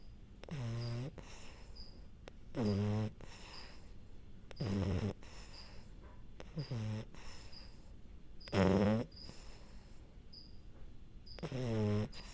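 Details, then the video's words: A French Bulldog falling asleep indoors gives about six throaty, rattling snores, each roughly every two seconds. Each snore is rough and buzzy, and they are separated by quiet breaths. Faint, regular high chirps sound in the background. "French bulldog falling asleep and snoring"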